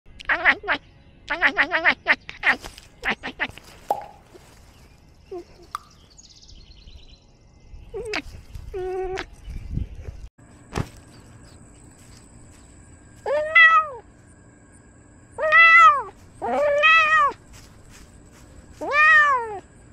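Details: Domestic cat wearing a camera while encountering a squirrel. Four drawn-out, arched meows, each rising then falling, come about every two seconds in the second half, after a burst of rapid harmonic calls, soft clicks and scattered knocks.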